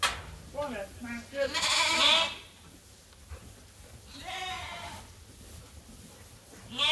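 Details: Sheep at Ewetopia Farms calling while awaiting their feed in lambing season; several short quavering bleats overlapping from different animals, with rustling and a burst of hiss in between.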